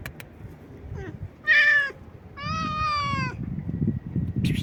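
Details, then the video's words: Stray cat meowing loudly and nonstop: a short faint mew, then two loud harmonic meows, the second long and steady, over low traffic-like rumble. "A stray cat meows loudly and nonstop"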